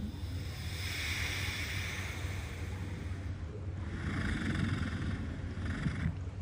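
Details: A napping walrus snores in long, rasping breaths over a steady low rumble of water, recorded on National Napping Day.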